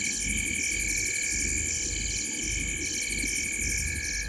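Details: Frogs sitting in a tree at the corner of Gowrie dam, Djuma Game Reserve, Sabi Sand Wildtuin, South Africa, at 19:33 on 5 July 2023, picked up by a live waterhole camera. A dense chorus of rapid, pulsed high calls repeats over steady ringing tones and a low rumble.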